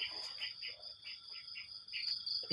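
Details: Crickets chirp at morning after rain in wet surroundings: a steady high ringing drone continues under a woman's talking, whose syllables come and go over it.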